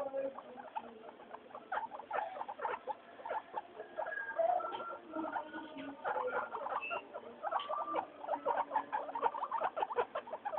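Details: Pet guinea pigs at floor time, three named Mayumi, Archie and Miyuki; rapid patter of short chirpy squeaks and clicks, scattered tonal whines, thickening into busier chatter in the last seconds.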